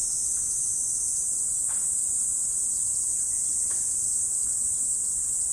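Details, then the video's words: Insects in autumn at morning, a level, constant high shrilling that never breaks, with two faint soft clicks in the background. "Morning Insect Sound Effect"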